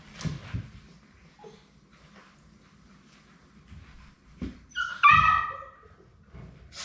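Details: One of the last three Labrador Retriever puppies at High Desert Labradors, on the day they leave for their new families. A quiet room with light shuffling, then a single strong, high whine that slides downward.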